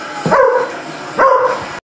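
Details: Deerhounds talking: two loud, drawn-out, moaning howl-like vocalizations, each starting with a short rising yelp and then holding a wavering tone that fades, spaced about a second apart.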